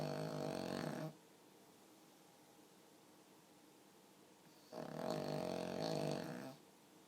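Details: Sleeping pug snoring with a human-like sound: two long rasping, buzzy snore breaths about a second and two seconds long, separated by a quiet pause of several seconds, in a quiet indoor room.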